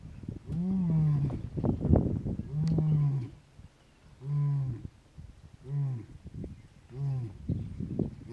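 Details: Leader of the Gomondwane male lion coalition in Kruger National Park calling to his brothers across the hippo pools territory; a run of deep, moaning grunts that grow shorter and closer together toward the end, over faint outdoor noise.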